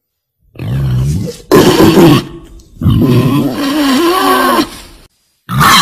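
A female wild boar gives deep, rough grunts and drawn-out groaning squeals in several bursts.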